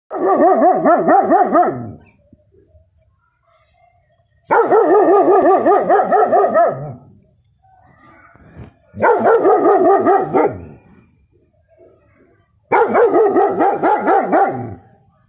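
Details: Six-month-old male German Shepherd puppy barking loudly as he shows his protective instincts: four long, deep, wavering bursts of about two seconds each, separated by quiet gaps of roughly two seconds.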